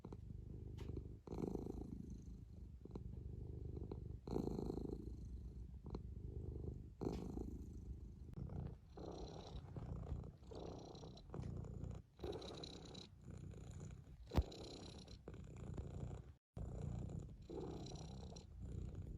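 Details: Domestic cat purring up close, a deep throbbing rumble broken into long bursts by brief pauses, some phases louder and rougher than others, with light rustling clicks between.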